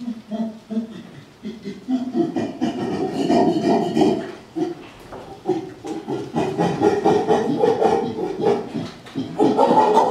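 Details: Chimpanzees (Pan troglodytes) give a pant hoot, a ventilatory display of strength and dominance: rhythmic breathy hoots and grunts building toward higher, louder calls; a human exclaims "Oh!" afterward.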